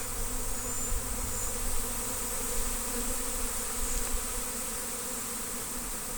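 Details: A very large western honey bee (Apis mellifera) swarm arriving on Good Friday 2025, being trapped, fills the air with a steady, low, droning hum of countless wings, likened to an airplane spooling up. Western honey bee.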